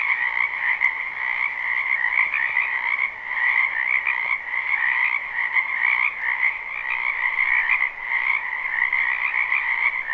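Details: Frogs croaking in a spring wetland near a home, live recording: overlapping buzzy trills form a steady, droning chorus with gentle rises in loudness every few seconds and no other clear sounds.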